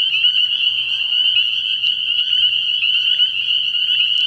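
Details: Spring peepers at a night-time frog pond early in the year, a loud, dense shrill chorus of high peeps running without pause, with a faint low rattling note at about one second.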